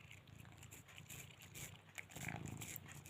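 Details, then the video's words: A cat enjoying her favourite treat, a chicken-flavour lollipop, purrs in a low, steady rumble broken by wet licking and smacking sounds. "Sound up for pussycat purrs"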